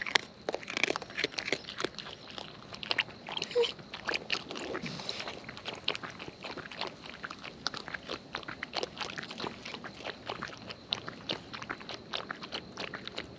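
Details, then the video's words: Feeding wild raccoons recorded close by, dense rapid crunching and munching, near-continuous crackly bites throughout. "Wild Raccoons & ASMR Chewing Sounds"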